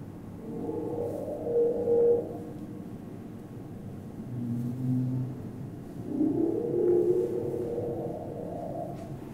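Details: A male humpback whale sings on winter breeding grounds, a song thought to attract females or defend breeding grounds: long, moaning tones that rise and fall, with deep grunts between phrases.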